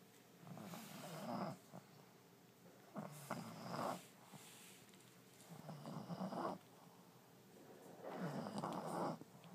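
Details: Pet French Bulldog Allie, deeply asleep in a new bed in early 2012, gives four rough, rattling snores roughly every two and a half seconds, each a rising, fluttering rasp in a hushed indoor setting.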